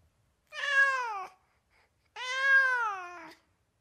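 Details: Domestic cat in California uttering two drawn-out meows, the second longer at over a second, both level in pitch with a drop at the end, recorded indoors in quiet.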